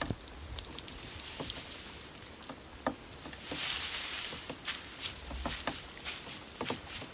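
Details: Grass insects played to attract cats, sustaining a continuous thin high whine, with irregular light patter and clicking noises and a brief swell of hiss midway.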